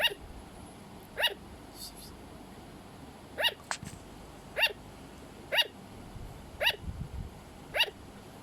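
A sugar glider gives short, sharp, yappy calls, repeated at uneven intervals of one to two seconds.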